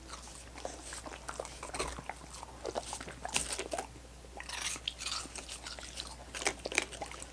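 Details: Dogs with coconut water popsicles: licking punctuated by louder crisp crunching bites into the frozen treat, bursts clustering around the middle and end, no talking.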